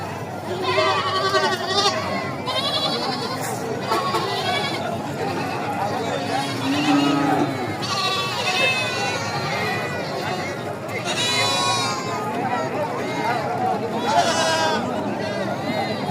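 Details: Goats at the Aricha livestock market in Bangladesh, where small farmers buy them; several wavering, quavering bleats rise above a steady murmur of crowd talk, with louder bleats near the middle and the end.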